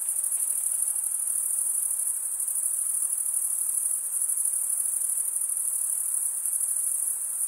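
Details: Male crickets stridulating produce a relentless high-pitched pulsing trill, bright and uniform, with minor fluctuations in strength and no competing sounds.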